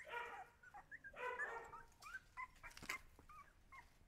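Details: Young Siberian Huskies letting out two loud, tonal whines early on, followed by softer squeaks mixed with clicks and scuffling thumps.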